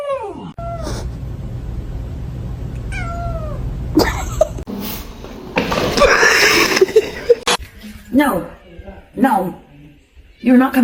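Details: Kitten meowing, two drawn-out, falling meows in the opening seconds, then a noisy stretch of human voices, shouting and laughter with bumps and clatter, and a few short, higher cries near the end.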